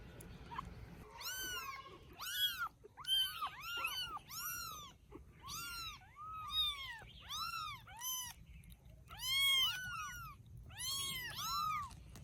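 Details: Rescued baby kittens cared for in Vietnam, enjoying life after rescue; a rapid string of about twenty thin, high, arching meows, each rising then falling, in quick clusters over a quiet background.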